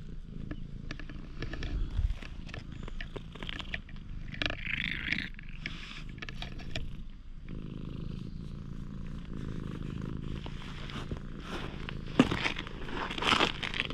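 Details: Stray cat found in a parking lot, becoming friendly toward a person, GoPro HERO8 recording: rhythmic low purring, strongest and steadiest in the second half, mixed with rustles and a few sharp taps.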